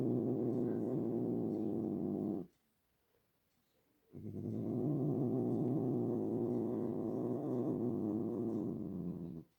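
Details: A pet cat purring in a low, steady rumble for over two seconds, a short silent pause, then a second long stretch of continuous purring.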